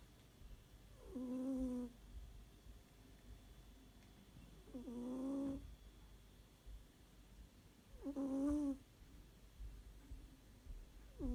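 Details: Domestic cat snoring in its sleep indoors, making a voiced, buzzy breath tone about every three and a half seconds, each lasting under a second, four breaths heard in a quiet room.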